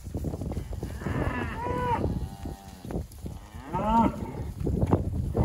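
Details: Hereford heifers and calves, fifteen of each: two loud moos, each about a second long and richly toned, the first bending upward and the second falling away, separated by a short gap, over low rumbling and shuffling.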